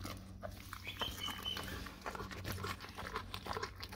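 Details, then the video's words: Dog eating a raw cow tongue indoors: wet, irregular smacking and tearing clicks scattered across the clip, over a steady low electrical hum. "dog eat raw Cow tongue"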